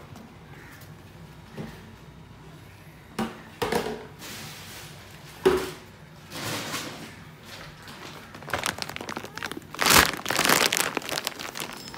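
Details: Crinkling, tearing and sharp thuds in a small indoor room, growing busier toward the end, with no animal voice.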